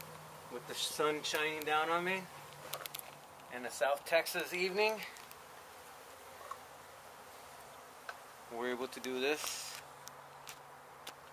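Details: Honey bees from a hive struck by construction crews while an abandoned home was demolished in Mission, Texas, during a rescue and relocation; a steady low buzzing hum runs throughout, broken by bursts of people talking.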